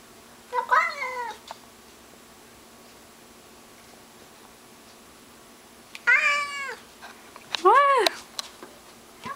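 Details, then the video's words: Agitated house cat Mr Mittens calls toward a stray cat outside in the bushes. There are three wavering, arched meows: one early, then two close together near the end, separated by a long quiet gap. "Mr Mittens bellowed a belligerent battle cry briefly"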